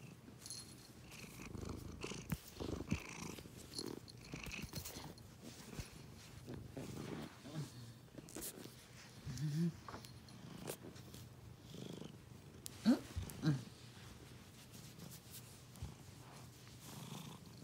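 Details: Long steady purr from a domestic cat, low rumbling with irregular louder breaths, brief sharp clicks or snuffles near ten and thirteen seconds.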